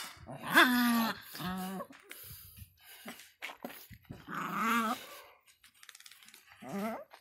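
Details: An angry Miniature Pinscher gives a few separate barks, each a short harsh yap with a slight wavering edge. Quiet pauses with faint indoor noise fall between them.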